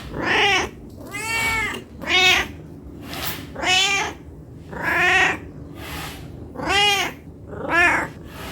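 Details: Hungry domestic cat meowing nonstop for food: about eight loud, harmonic meows repeated roughly every second, each rising then falling in pitch, with a faint low hum between calls.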